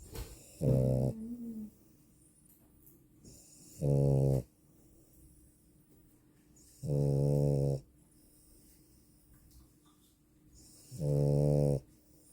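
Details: A female French Bulldog snores loudly, each deep rumbling breath coming about every three to four seconds.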